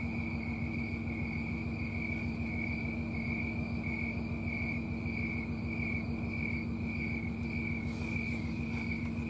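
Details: Snowy tree cricket on a summer night in Colorado, September 4, 2022, singing from trees and shrubs. Its chirps are rhythmic, high and pulsing, evenly spaced, with a steady low hum in the background.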